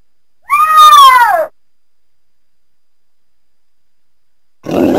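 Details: Cougar uttering a single drawn-out, meow-like wail that holds steady and then falls in pitch over about one second. A short rough noise follows after a long silence.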